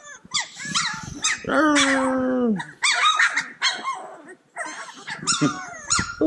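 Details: A bunch of playful Cane Corso puppies yip over one another: rapid high squeaky yelps and bent whines, and one sustained, slightly falling whimper that stands out among the clamour.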